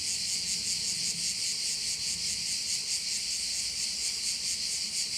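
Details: Crickets calling at one of the bays in Korčula: a dense, shrill, high-pitched buzzing chorus that pulses rapidly and steadily without a break, with a faint low rumble of background noise underneath.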